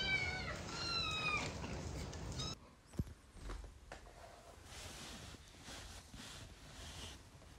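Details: Kittens from a compilation give a run of short, high, thin meows with bent pitch during the first two and a half seconds, then fall quiet. A quiet room follows, with soft clicks and faint rustling.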